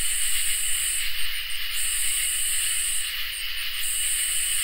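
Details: Summer night chorus of crickets and katydids: a steady trill runs throughout while a high, sizzling buzz sounds in long bursts, with a few short clicking chirps filling the pauses between them.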